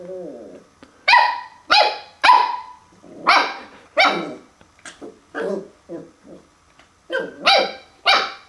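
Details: Puppy barking at its own reflection on first seeing a mirror: a run of sharp, harmonic barks, some rising into yelps, spaced irregularly about every half second, with a few softer lower whines in between.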